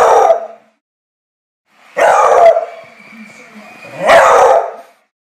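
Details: Beagle dog giving three drawn-out, hoarse bays, each about half a second to a second long, spaced roughly two seconds apart, with quiet pauses between.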